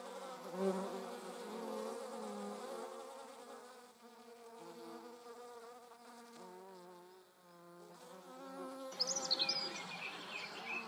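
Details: German wasps transporting prey produce a wavering buzz whose pitch drops and rises, fading near seven seconds, then returning while a bright bird chirp sounds in the background toward the end.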